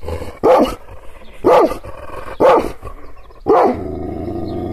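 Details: An angry Kangal shepherd dog, provoked by hand gestures but not touched, gives deep, harsh barks, four loud bursts about once a second.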